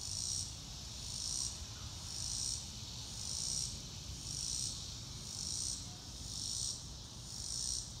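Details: Rhythmic high cricket trills pulse steadily, close to one burst per second, in a natural grassy setting under passing clouds, with a gentle low hum underneath.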